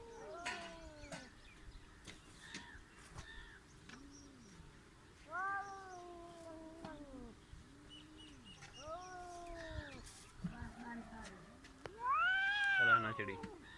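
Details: Village cats on the verge of a fight exchange repeated moaning yowls, each an arched, wavering wail lasting about a second, separated by short pauses, ending in a louder, higher rising screech; quiet clicks and rustles behind.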